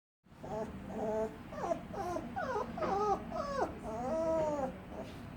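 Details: Little puppy making weird moaning noises: a steady run of wavering, whiny, rising and falling tones, one after another for about five seconds over a soft indoor hiss.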